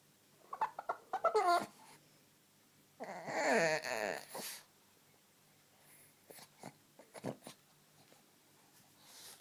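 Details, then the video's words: Pet male dog having a playful, excitable spell inside the house, letting out a quick series of short squeaky whines followed by a longer, wobbling, groaning moan, then scattered snorts and huffs. "Ugly dog makes the WEIRDEST noises!!!"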